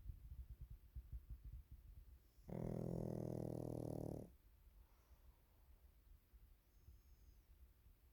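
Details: Waffle the Pekingese, napping in the afternoon, gives one drawn-out snore near mid-clip: a deep, steady, rattling rumble lasting almost two seconds. Faint breathing and light rustling come before and after it.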